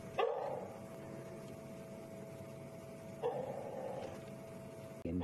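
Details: An alpha African wild dog at Djuma Game Reserve, South Africa, gives two short, mid-pitched calls about three seconds apart, calling to its pack during an evening safari, May 23, 2015.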